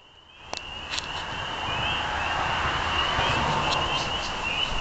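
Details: Spring peepers calling in a dense chorus, their high, piercing peeps merging into a steady shrill band that swells after the first half-second and holds throughout, with a few sharper individual peeps standing out and a faint low rumble beneath.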